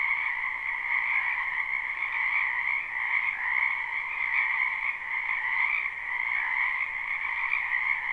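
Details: Wild frogs gathered in a wetland in spring, live recording: a thick wall of trilled croaking that never pauses, carried on a lower and a brighter tone, with gentle swells in loudness.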